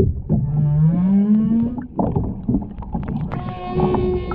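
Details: Humpback whale song under water near the Ogasawara Islands on 23 February 2021, during whale watching with a mother, calf and escort. A low moan slides upward, then after clicking water noise a higher steady tone sounds.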